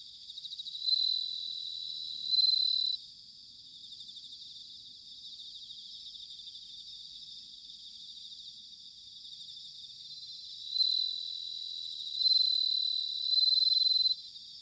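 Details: Bell crickets in autumn at Sanuki, Chiba, Japan, captured with ZOOM H6 and TASCAM DR-05X microphones. A close insect gives loud ringing phrases at the start and again near the end, separated by a long stretch of soft, even, high-pitched chorus trilling.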